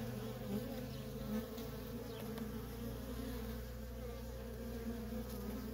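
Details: Worker honey bees at a feral colony in nonstop traffic, giving a steady, low droning buzz with layered hum bands throughout, no other clear sounds.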